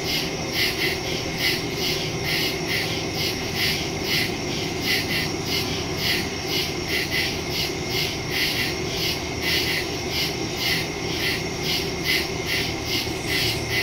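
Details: Night in the woods with many crickets calling together, captured September 2, 2023 by phone and stereo mic; rapid regular high-pitched chirp pulses blend into a continuous shimmering chorus above a faint low hum.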